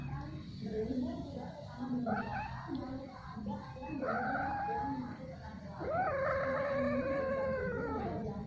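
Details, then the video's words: Domestic cat caterwauling while mating, which goes on repeatedly and at length: faint low murmurs at first, then loud, drawn-out wavering yowls with rich harmonics in the second half, over a steady low hum. "Kucing Kawin Keluar Suara Aneh"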